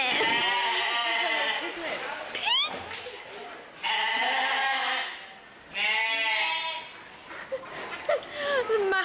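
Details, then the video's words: Sheep at a farm bleating: long wavering bleats with stacked harmonics, repeated in three main bursts, mixed with a woman's speech. "obviously you can hear the sheep going, bah."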